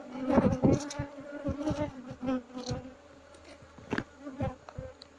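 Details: Asian honey bee colony in a hollow log in Indonesia, disturbed as it is being moved into a box: continuous droning hum under repeated tapping and knocking on wood, with a man briefly speaking.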